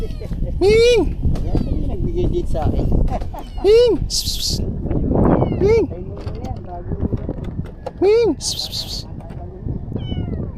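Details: Hungry stray kitten being fed fresh-caught fish gives four loud arched meows, rising then falling, spaced about two to three seconds apart, between bursts of crinkling and people talking nearby.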